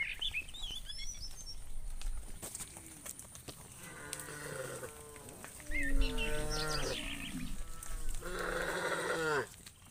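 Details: Cows roaming in the fields calling to each other: a series of drawn-out harmonic moos and bellows, some deep and some higher and more urgent, overlapping in the second half, with outdoor background noise.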